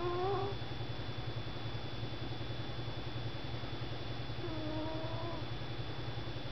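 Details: Pet cat Sugar sleeping on a desk, giving two short tonal snores, one at the start and one about four seconds later, each a faintly rising whistled breath over a constant low electrical hum.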